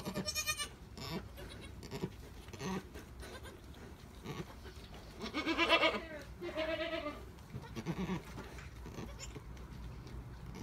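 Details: Alpine goat during the birth of triplet kids: scattered rustling and clatter, then a loud wavering bleat midway followed by a shorter second bleat, with a person speaking softly nearby.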